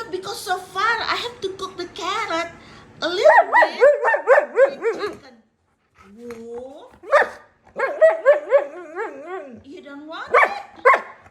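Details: Wulf, a husky malamute dog, chatting with his owner indoors: bursts of wavering, yodel-like howls that rise and fall in pitch, in quick runs of several per second, alternating with a woman's speaking voice.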